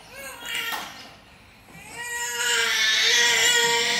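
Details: Ailing pet cat meowing while being fed: a short high cry, a brief pause, then a long, loud, sustained wailing meow with rich overtones filling the rest of the moment indoors.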